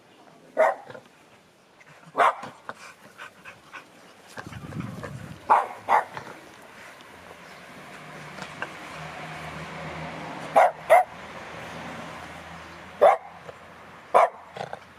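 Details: A female Cavalier King Charles Spaniel gives sharp, single barks spaced a few seconds apart, with a low hum behind.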